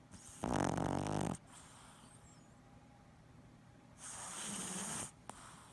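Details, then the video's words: Sleeping Boston Terrier twitching in its sleep, snoring indoors: two long rasping, broadband snores about three seconds apart, the first loud and grating, the second softer and hissy, with quiet breathing between. "Boston Terrier Freaky Snoring And Twitching Compilation"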